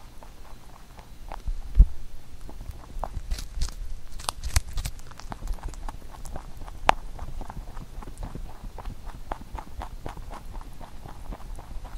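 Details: Pet rabbit eating a carrot songpyeon for Chuseok; rapid crunchy chewing with a few louder bites and knocks, fairly quiet and continuous.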